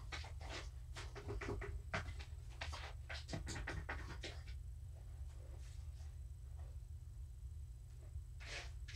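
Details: Domestic cat Morticia, a rescued pet, purring indoors in the evening while being petted: a steady deep rumble with soft rhythmic pulsing, broken by scratchy rustles and sharp clicking handling noises.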